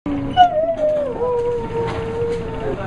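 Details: Prince Albert, a pet dog, 'talking' to his owner: a long, drawn-out, howl-like tone with a brief rise, then a slowly falling, wavering glide that holds steady for about two seconds.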